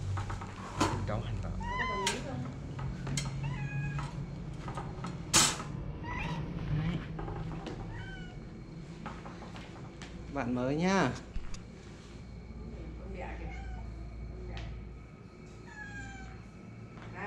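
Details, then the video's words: Domestic cat meowing indoors, several short rising-falling meows spread through the recording and one longer wavering meow near the middle, with Vietnamese speech, handling noises and clatter around them. "Cats want a boyfriend"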